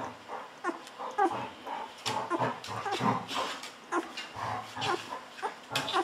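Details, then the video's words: Fourteen-day-old Golden Retriever puppies, hungry and fed milk by bottle, make a steady run of short squeaky whimpers roughly twice a second, mixed with soft suckling and handling noises indoors. "Hungry Babies drinking wildly Milk"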